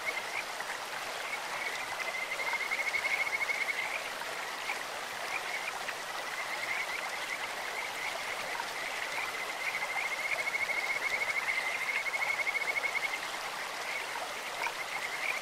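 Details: Two bouts of fast, pulsed, whistle-like trilling from a Kajika frog in a stream, each lasting a few seconds at a level high pitch, separated by quieter chirps over rushing water.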